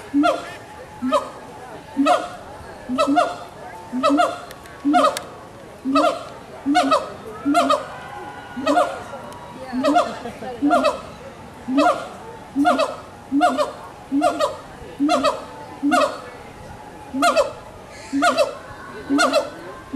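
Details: Captive gibbons in Walt Disney World's Animal Kingdom, 2018, calling back and forth in a steady train of bright, rising hoots, roughly one per second for twenty seconds, with layered harmonics and faint crowd noise underneath.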